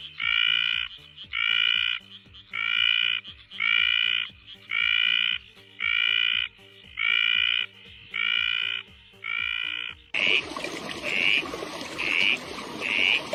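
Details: Frogs calling: a series of nine tonal, harmonic croaks, each about half a second long, repeated roughly once a second, then a switch to a noisier scene with shorter, higher notes repeating over a hissing background.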